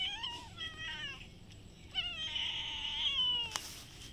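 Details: Domestic cats, a brown cat and a white kitten behind a house, said to be ready to fight: two drawn-out, wavering meows falling in pitch, the second longer and strained, with a sharp click near the end.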